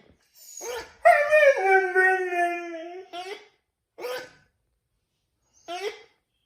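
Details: Siberian Husky indoors howling in response to a dog toy, a dog that rarely howls: a long drawn-out howl that slides downward over about two seconds, then several short yelping howl notes spaced a second or more apart.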